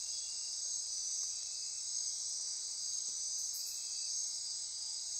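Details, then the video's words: Nighttime insect chorus in the forests of the Osa Peninsula, Costa Rica, near Corcovado National Park; continuous high shrill buzzing with fine trills, and one brief burst of sharp high pulses midway. "Midnight Insect Chorus"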